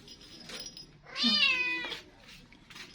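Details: Stray domestic cat calling for the woman who feeds it, its 'mother': one loud, drawn-out meow of about 0.8 seconds with clear harmonics that slide downward, set between faint background murmurs.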